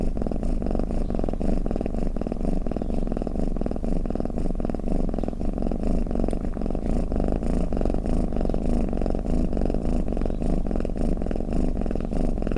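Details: Domestic cat snoring or purring: a steady low rumbling drone, finely pulsed and without a break, with almost no high tones, for about twelve seconds.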